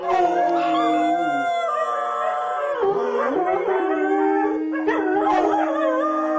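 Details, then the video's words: Dog howls: long sustained tones held steady for several seconds, dipping and sliding midway, with other voices joining in layered wavering cries toward the end. "Köpek Uluma sesi/dog Howling sound"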